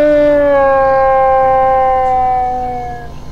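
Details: Hyena vocalization from a collection, a sustained harmonic tone that slowly falls in pitch over about three seconds before fading out.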